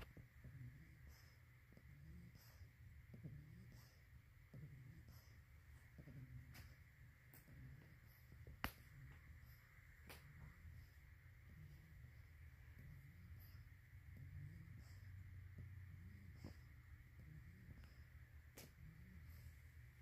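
An English Bulldog puppy snores softly, with low rumbling breaths and small snorts repeating every second or two.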